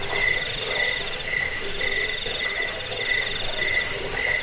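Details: A cricket chorus used as a rat repellent and sleep sound: bright, high chirps repeat about four times a second over a continuous shrill trill, with a second lower chirp pulsing in alternation.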